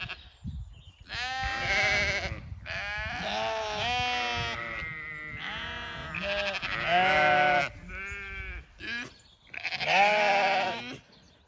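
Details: Evening feeding on an Irish regenerative farm in County Kilkenny: Zwartbles ewes bleat to summon the rest of the flock across two fields, drawn-out quavering cries from multiple sheep following a short quiet start.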